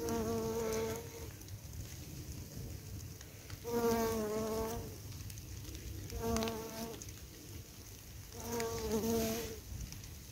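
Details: Bumblebees foraging on a wild flower patch, too many to count, recorded over two evenings; a low droning buzz with a steady harmonic hum swells and fades in four separate passes as bees fly close to the microphone.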